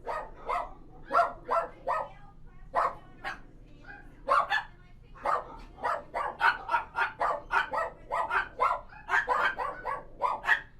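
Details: Inside a kennel, many dogs bark at once, sharp broad barks growing denser and faster toward the end, overlapping into an almost continuous clamour over a low steady hum.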